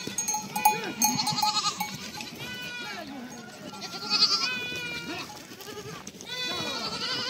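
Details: Young goat kids bleat over one another in wavering, quavering cries as they meet, with bells jingling behind.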